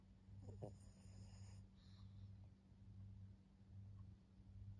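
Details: Senior female fawn Pug Maria, aged fourteen, in Japan on 20 October 2024, gives steady low droning snores repeating roughly once per second, with a short rustling burst near the start.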